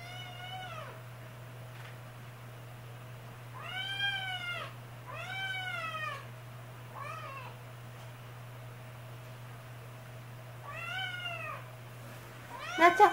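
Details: Two kitten siblings, brother and sister, scared on a cat tower they have climbed but cannot yet get down from. Loud drawn-out meows with an arched pitch, about six calls in thirteen seconds, with a steady low hum and a woman speaking Japanese.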